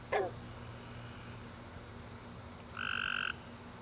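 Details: A single tree frog chirp, a short buzzy trill about half a second long, heard at night after a warm rainy summer day, preceded by a faint click and quiet background.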